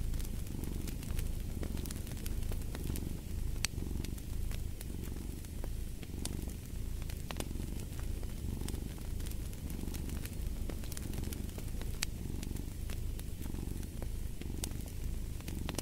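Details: A cat's deep continuous purr, pulsing in regular breath cycles under a steady stream of crackling, snapping fireplace sounds.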